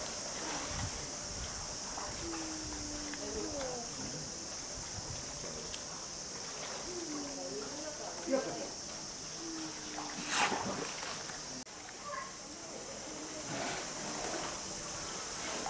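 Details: Steller sea lion pup born 2 July 2023 at Marinepia Nihonkai aquarium, recorded 17 August 2023; low, harmonic bleating calls, slightly wavering, repeated several times a few seconds apart over a steady background hiss.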